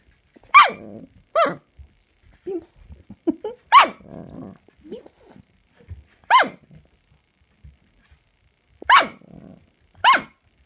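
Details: Samoyed puppies barking on 16 March 2020: sharp, high, rising-then-falling yaps spaced a second or more apart, mixed with low rough growly bursts between them, indoors.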